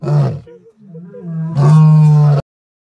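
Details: Lion. A lion cub lets out a brief, deep, rasping roar, followed by a quieter wavering grumble. It ends with a louder sustained roar that holds its low pitch for nearly a second before stopping abruptly.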